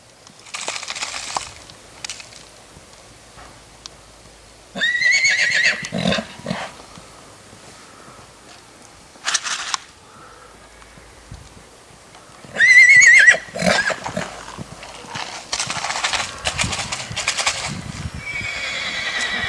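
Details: Black six-month-old purebred Lusitano filly at a stud farm, giving loud harmonic whinnies in bursts around five, nine and thirteen seconds, with hoof knocks and rustling between calls and quieter noisy stretches near the end.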